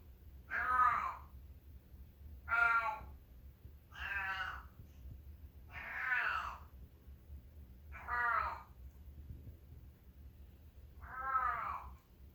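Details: Male long-haired feral cat, now a house cat in Northwestern Oregon, said to be constipated again, giving six drawn-out, wavering meows about every two seconds, moderately loud against a quiet room.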